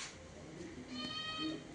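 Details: A pet cat indoors, excited by the smell of liver being cooked for it, gives one short, drawn-out harmonic meow in the second half, with household noise and a woman's voice nearby.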